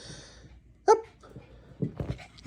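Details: Chihuahua named ChiChi greeting its owner indoors in a small room: one sharp, high yip just before the first second, then a quiet stretch and softer low grunting and whining sounds near the end, with a person talking close by.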